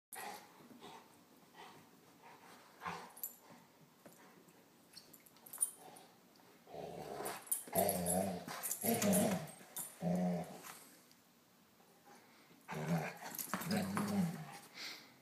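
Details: Pet male Golden Retriever indoors, playing with a Jolly Ball; bursts of low rough growling with harsher snarls in short clusters around the middle and end, quiet stretches between, small room.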